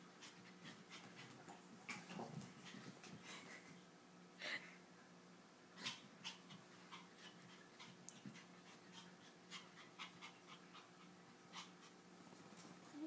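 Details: Toy poodle Precious plays with a kitten named Tiger; short airy pants and breathy huffs recur unevenly through the recording, with a few sharper clicks and a low constant background hum.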